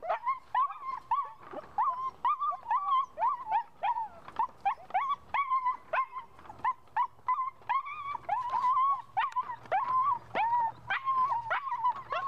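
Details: A puppy driven by a ball keeps up a continuous stream of high-pitched whimpering yelps, short bent notes repeated several per second for over twelve seconds without a break.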